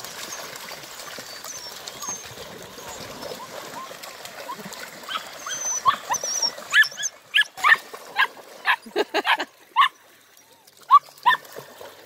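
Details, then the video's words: German Longhaired Pointer pups, eight weeks old, at their first introduction to water: after quiet faint squeaks, a burst of sharp, bright yips and short barks comes in an uneven cluster, then trails off into isolated yelps. "Deutsch Langhaar Puppies 1st Intro. to Water"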